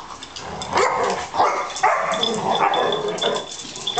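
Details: Two pet Labrador Retrievers fighting, dated 97/12/26. Rough, noisy growls and snarling barks come in bursts about every half second and overlap throughout.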